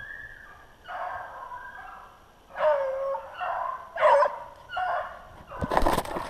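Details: Beagles baying while hunting snowshoe hare, February 25, 2016. A run of loud, mournful, wavering bays, each about half a second long, is followed by a burst of rustling noise at the close.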